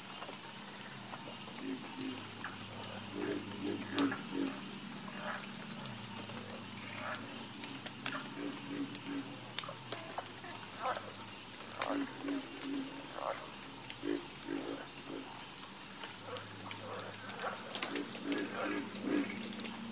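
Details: Frogs croak in a soothing chorus, their short low calls arriving in irregular runs of several croaks at a time, with a continuous high insect buzz underneath throughout.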